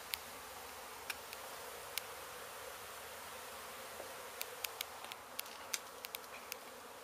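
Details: Honey bees from a hive hit by demolition crews at an abandoned house in Mission, Texas: a constant, droning buzz over the whole stretch, broken by crisp, irregular clicks and taps.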